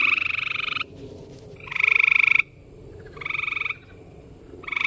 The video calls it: Surrounded by gray tree frogs calling!!